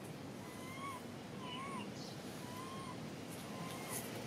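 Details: Young monkey denied milk by its mother whimpers in a string of four soft, rising-then-falling tonal coos about a second apart, over steady low background hiss.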